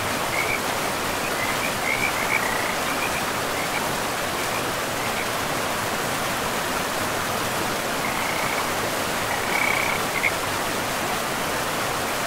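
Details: Beside a river in a pristine forest with moss-covered ground, frogs call in short, high trilling bursts, a cluster early and another later, half-buried under the steady roar of rushing water.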